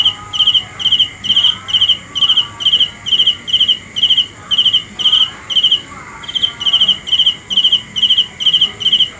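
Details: Cricket chirping steadily, short high pulsed chirps about two per second in an even, unbroken run, with faint wavering tones in the background.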